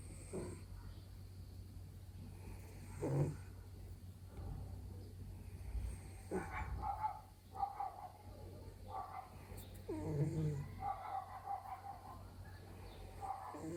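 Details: A sleeping male Bengal cat, apparently dreaming with paws and ears twitching, makes soft, brief murmurs and chirping squeaks over low, snore-like breathing.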